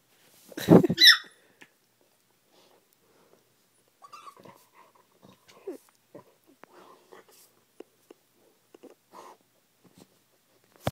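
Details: Indoors during morning play, Wiz the husky and Pebbles the chihuahua give a short, loud, rough growling burst near the start, followed by quiet snuffles, soft grumbles and small scuffing sounds.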